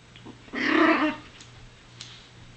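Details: Chihuahua puppy at play, giving one short, raspy growling bark about half a second long, with a steady low hum and faint clicks in the background.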